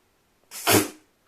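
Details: Riku, an apricot Toy Poodle just over ten months old, who freezes after sneezing, gives a single sharp, breathy sneeze lasting about half a second, an abrupt hissing burst with a brief softer lead-in, against quiet surroundings.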